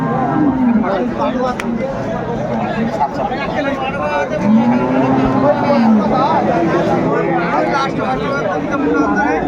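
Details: Cows and calves at Aftabganj cattle market in Dinajpur: low, drawn-out lowing rises and falls near the middle, under steady market hubbub with men talking and haggling over prices.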